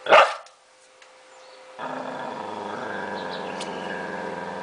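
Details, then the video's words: Angry dog lets out one sharp bark, goes quiet, then settles into a steady, low, rattling growl that holds to the end. "cachorro bravo"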